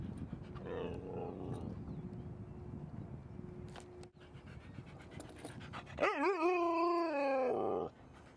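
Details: Dogs Rosy and Rocky at play with another dog at Seal Point Dog Park: low growling and panting, then a loud wavering, whine-like howl lasting about two seconds near the end, over outdoor background noise.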